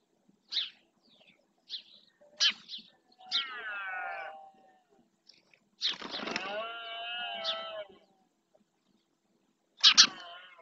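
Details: Red deer stags bellowing during the rut in the marshland of Doñana National Park, Spain, claiming territory: two drawn-out, harmonic groaning calls of about two seconds each, among sharp high chirps and clicks.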